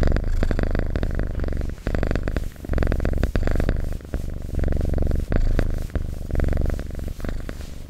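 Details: Loud, close domestic cat purr, a coarse low rumble broken into alternating inhale and exhale bursts about one second long, with light clicks between some cycles.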